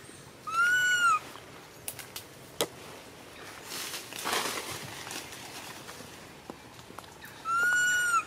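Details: Baby monkey crying because its mother ignores it: two clear, high whistled wails, each rising then falling and lasting under a second, one near the start and one near the end, with faint rustles and taps between.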